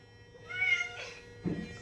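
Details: Rarely vocal female Norwegian Forest Cat indoors: a thin, rising-then-falling meow lasting about half a second, followed by faint room noise and a woman's voice calling to the cat.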